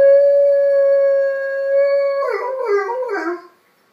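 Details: Six-pound Miniature Pinscher howling in response to sirens: a long, steady, pure tone held for about two seconds, then breaking into a wavering, quavering howl that fades out.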